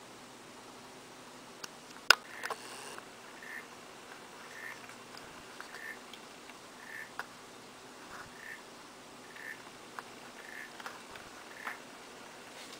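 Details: African clawed frogs singing: soft, short clicking pulses repeat steadily about every half second to second throughout, fairly faint, with a few sharper knocks and taps early on over a quiet hiss.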